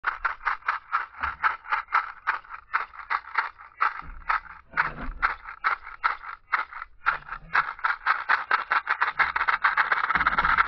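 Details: Western diamondback rattlesnake rattling: a dry, buzzy rattle in rapid pulsed bursts, surging and easing over about ten seconds with brief pauses, steady and harsh, no other clear sounds.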